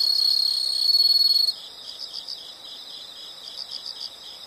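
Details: Insects calling: a loud, pure high trill holds steady for about a second and a half, then drops away to softer, rapid pulsed chirps in short bursts at the same high pitch.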